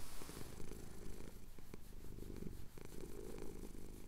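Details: Male cat purring during a chin scratch, Cotswold hills at sunrise, recorded with a Tascam DR-07X; soft low rumble, fairly even, with a brief pause near 2.7 seconds.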